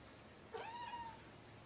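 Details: Seamus, a kitten found on the streets of Chicago and taken in by Illinois Animal Rescue, gives one short meow that rises and then holds steady before fading, over a soft, steady indoor hiss.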